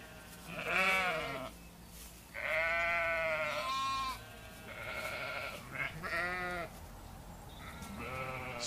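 Sheep bleat in a series of wavering, nasal baas with rich harmonics.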